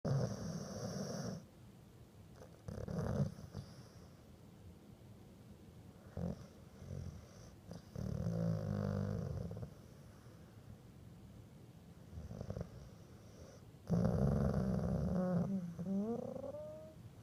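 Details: Dog that fell asleep grumbling, each breath a low snort or grumble: rough, low snoring bursts every few seconds, ending in a longer grumble with a brief whiny rising tone.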